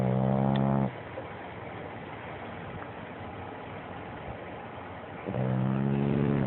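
A French bulldog snores with deep, rumbling, buzzy breaths and a quiet pause between them.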